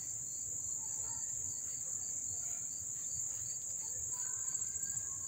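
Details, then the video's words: Crickets at Dobbs Ferry, New York, on August 1, 2014, heard up close as a steady, piercing high-pitched buzz without pause, with faint whistled notes and low hum in the background. "the chirping of the crickets"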